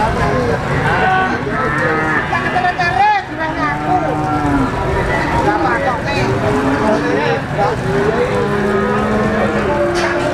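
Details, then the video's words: Black Pegon cattle at the Blitar cattle market in East Java, Indonesia, on Legi market day. Several overlapping lowing moos with curving harmonic tones, set against a busy crowd of voices and market chatter. "Sapi Pegon Hitam"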